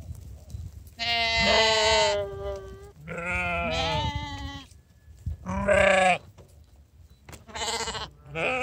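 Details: Sheep called for their morning feed, with two young animals now staying the night with the flock; a series of five harmonic, wavering bleats of varied pitch, some long and quavering, others short, with brief pauses between.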